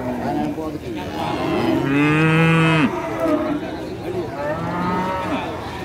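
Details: Tame cattle lowing at an animal trading market: one strong, drawn-out moo bending downward at its end, followed by a quieter, shorter moo amid general market background noise.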